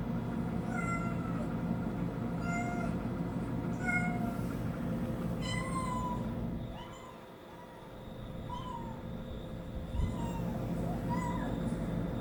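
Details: Cat meowing in reaction to kitten sounds played from a TV: a series of short meows, some thin and high, others lower and falling in pitch, over a steady low hum, with a brief quieter lull midway.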